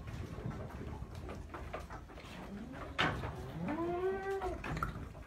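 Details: Peranakan Etawah goat kid short of milk gives one drawn-out, wavering bleat that rises and then falls, with clear harmonics, late in the recording, preceded by low background rustling and clatter.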